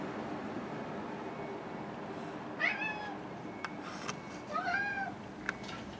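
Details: Domestic cats meowing during morning greetings indoors: two drawn-out, arching, harmonic meows a couple of seconds apart, the second slightly longer and falling at the end. Soft clicks and low room hum sit underneath.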